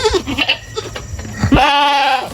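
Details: Goat kept on a small farm; after a second of voices and clapping, one loud, drawn-out, steady harmonic bleat lasts nearly a second.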